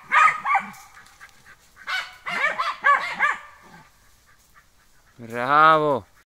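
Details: German hunting terrier at wild boar training, giving a few separated barks in short clusters, then a pause, then a long, drawn-out, tonal wailing sound near the end.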